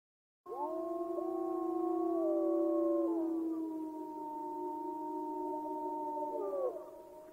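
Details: Several wolves howl together in a chorus of long, steady, overlapping tones at different pitches while a hungry white-tailed deer feeds anxiously before the wolves arrive.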